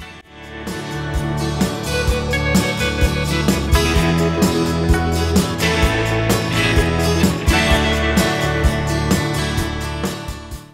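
Steady strummed guitar music with a regular beat and no animal sounds.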